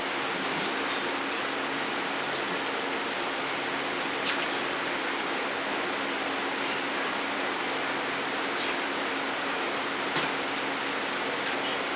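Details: Steady broadband hiss like an air conditioner or fan in a small room, with a few faint clicks and no animal voice.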